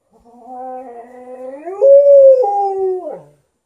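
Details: Indoors, a 13-year-old Golden Retriever vocally demands more petting while a Malamute objects. A single sustained howl of over three seconds starts low and steady, slides upward, holds a louder plateau, then drops away at the end.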